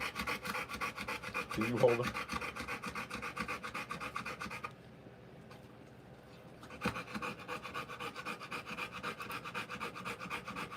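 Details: Rottweiler in labour delivering puppies, rapid shallow panting that stops for about two seconds midway, then resumes; a brief low voiced sound near the start.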